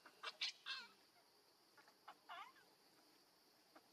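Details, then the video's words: Baby monkey crying and calling to its mother, hungry and begging for milk: short, high, harmonic wails that sweep downward, given in quick bursts of two or three, then a pause and a few more bursts amid faint background hiss. "Cutest Baby Monkey Call Mummy Back"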